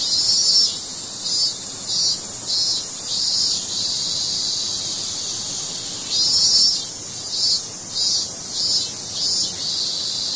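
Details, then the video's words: Cicada cry as an intense high drone, throbbing in regular pulses roughly every half second in long runs, fading to a steady whine between runs. "매미 울음 소리"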